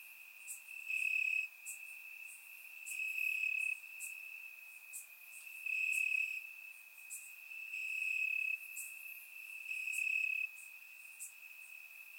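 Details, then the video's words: High-pitched, continuous cricket trilling from grass on a warm Bulgarian summer night, captured in surround sound, the chorus rising into louder bursts roughly every two seconds over a constant ringing tone. "Cricket Sounds - Crickets Chirping at Night"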